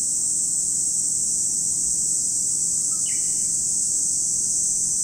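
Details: Lake Kamo, Sado City, Niigata Prefecture, Japan: cicadas produce a relentless high buzzing hum, joined midway by one short descending bird chirp.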